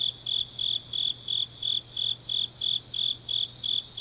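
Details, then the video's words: Night-time autumn grass insects in Changnyeong, South Korea, giving a regular series of shrill, piercing chirps, around three per second and even in loudness, against a faint steady low-pitched hum. "깊은밤 가을 풀벌레 소리"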